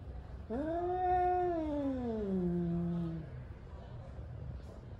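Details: A male cat, angry and warming up for fighting, gives one long low wail that rises briefly, then sinks into a growling moan lasting about three seconds.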